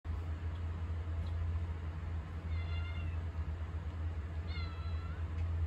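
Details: Pet cat, likely Mugi, meowing for attention in a home kitchen when someone stands there; two clear, slightly rising harmonic meows about two seconds apart over a steady low electrical hum.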